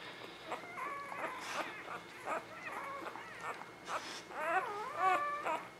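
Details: Whimpering from a newborn puppy in Ava and Jericho's eleven-pup litter, spring 2017, with the mother nursing indoors: wavering, bending squeaks, several in a row, rising and dipping in pitch, with brief speech behind.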